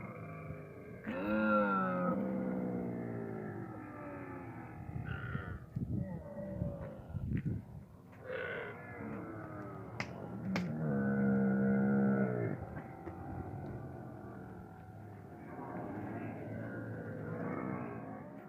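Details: Camel with its calf, calling in low, throaty, gurgling bellows. Drawn-out rumbling calls rise and fall across the clip, with a few sharp clicks and steady low background noise.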